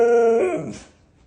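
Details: Indoor pet male Siberian Husky objecting to talk of dieting; a short, flat, steady howl note held for under half a second, then a quick rough break downward into silence.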